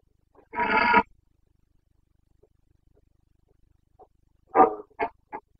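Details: Carpathian red deer stag in Bucovina during the rut on 29 September 2022, giving a loud, harsh, half-second roar, then after a silence a few short grunting bellows.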